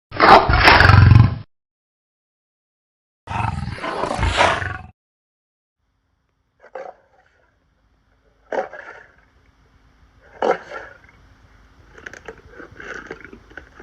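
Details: Lion giving two short, harsh roaring bursts separated by silence, followed by several faint, scattered, brief rasping sounds at lower volume toward the end.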